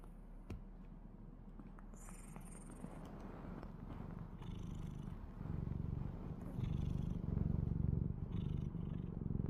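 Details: Kkadong-i, a pet cat, snoring: a low rumbling, rapidly pulsed drone that steadily grows louder toward the end, with faint higher clicks and rustles above.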